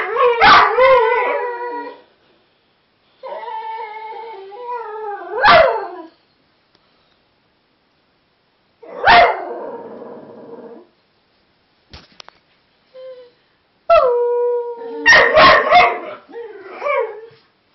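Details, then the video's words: Several whippets howling and competing in a group, long wavering tonal howls mixed with sharp yips and barks in bursts separated by short pauses, voices overlapping near the end. "howling whippets"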